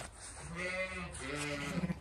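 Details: Zwartbles new mother ewe let out onto grass on a sunny day on a County Kilkenny farm in Ireland, watchful of nearby dogs and protective of her newborn lamb; one long, wavering, low bleat rich in harmonics, trailing off, with light wind behind.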